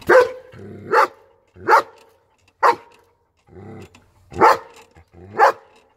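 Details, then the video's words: Repeated barking from a German Shepherd, six sharp loud barks roughly every second, with soft low growly breaths between some of them. "German Shepherd's barking/Szczekanie Owczarka Niemieckiego"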